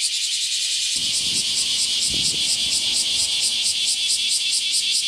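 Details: Bear cicadas chorusing from the morning on the hottest day of the season, 23 July 2018. Their loud, shrill, pulsing buzz fills the clip, with a few soft low thumps nearby in the background.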